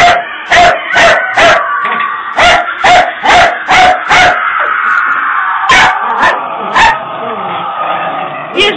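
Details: Puppies scared of a Halloween prop bark in sharp, high bursts, about a dozen over nine seconds, quick clusters then scattered yaps, over a steady droning hum and a voice.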